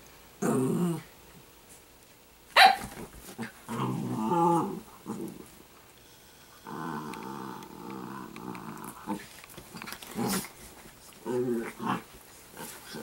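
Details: Italian greyhound named Sparkle, a pet puppy indoors, growling in repeated low rumbling bursts, some short and choppy, one long steady growl in the middle, with a few sharp clicks and thumps between.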